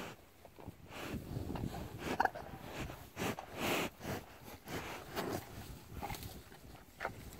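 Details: At a pasture on a windy day, a curious cow sniffs close up at a hand in short, breathy bursts, with wet licking and rustling between them.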